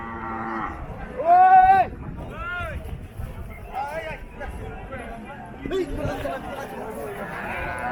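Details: Cattle at Paragram cattle market in Bangladesh, 7 December 2024: one loud, clear moo rising then held steady for about half a second, with shorter bellows from other cattle and human chatter in the background.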